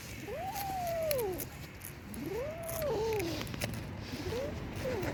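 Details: Rescued abandoned kitten, found frozen after two days in -11°C snow, calls with three arching meows about a second apart, each rising and then sliding down. A low background rumble and faint clicks run underneath.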